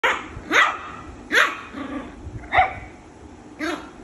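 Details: A Shih Tzu puppy fighting with his sister gives four short, sharp, high barks about a second apart.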